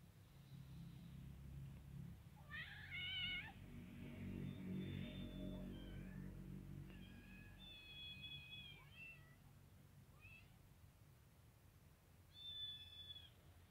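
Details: A white kitten comes over to a ginger female Persian cat while she eats; short, high-pitched meows, several in a row, sound over a low rumbling background.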